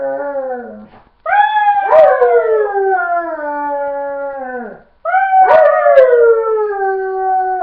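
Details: Pet dog howls on cue after being told to speak, giving two long drawn-out howls that slide gently downward and fade, with a brief gap between them.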